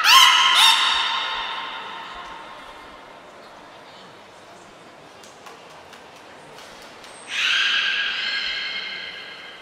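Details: Beluga Niko in training at Port of Nagoya Public Aquarium, 25 February 2024: a loud, nasal, harmonic squeal fading over the first second, a quiet stretch, then a high thin whistle and a second bright, buzzy squeal near the end.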